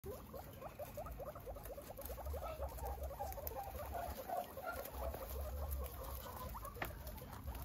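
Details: Guinea pig said to be happy, giving rapid, irregular strings of short chirping pulses, about two or three a second, over a steady low rumble and faint rustling.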